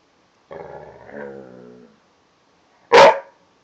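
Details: Half Rottweiler, half Tibetan Mastiff dog playing with his blanket indoors: a low, rumbling growl lasting over a second, a pause, then one loud sharp bark.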